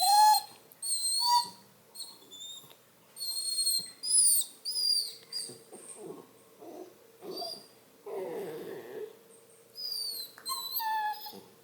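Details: Redbone Coonhound puppy, a male, whining in bed: a string of high, thin, whistled whines with sharp rising and falling glides, separated by short pauses, plus some lower, softer whimpers.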